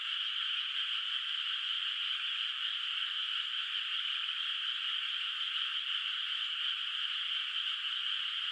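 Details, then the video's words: Frogs calling at night in a moonlit rice field in the countryside, the water not yet planted, their voices heard from a distance; a dense, steady chorus of overlapping trilling calls forms an unbroken wash throughout, with no other sounds. "月明かりの田んぼで響くカエルの声 懐かしい田舎の自然音BGM Frog Sounds in a Moonlit Nostalgic Countryside Night Ambience"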